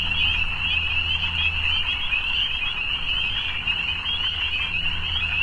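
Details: Many frogs trilling together in the evening, a high buzzing chorus that never stops, over a low droning hum that fades in and out.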